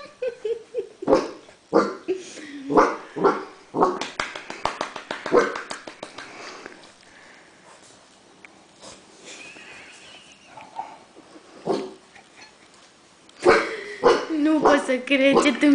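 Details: Seven-week-old female Great Dane puppy on her first day in a new home, giving bursts of short yelping barks and whimpers, quiet in the middle, then more rapid yaps at the end.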